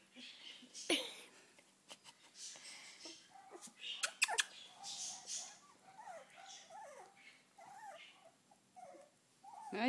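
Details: Three-week-old puppies venturing outside: thin, high wavering squeaks and whimpers come in short bursts, mixed with sharp clicks and rustling handling noise, with soft human murmurs nearby.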